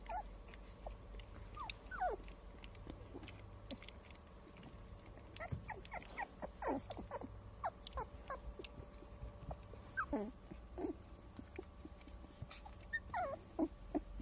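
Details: Twenty-two-day-old Standard Poodle puppies filmed on April 8, giving many short, squeaky whimpers that slide up and down in pitch, scattered and overlapping across the whole stretch, over a faint steady hum.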